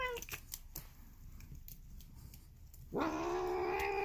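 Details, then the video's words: Polydactyl house cat giving a sudden loud rising meow-like cry near the end, after a quieter stretch of clicks and faint background noise indoors. "Mutant Cat Makes Weird Cat Noises She Sounds Like Marge Simpson"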